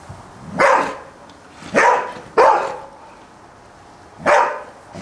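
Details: A Golden Retriever barking at a Spiderman toy gives four loud, deep single barks at uneven intervals.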